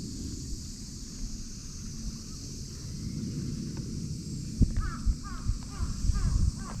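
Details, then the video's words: Stray cat called Pink emerging from beneath a boat: after a few seconds of steady low rumble and hiss, a quick run of about six short, high, falling mews sounds close together near the end. "天使の様な可愛い鳴き声‼️舟の下からピンクちゃん登場 100万$の鳴き声をどうぞ"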